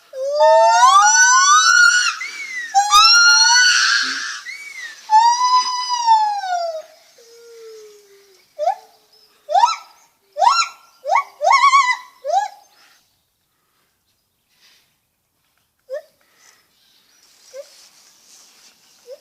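A lar gibbon gives loud, swooping hoots, then a run of short rising whoops about a second apart.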